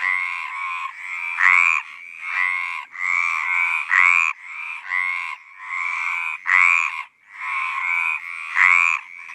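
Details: Mediterranean tree frog (Hyla meridionalis), mating call: attracting a mate.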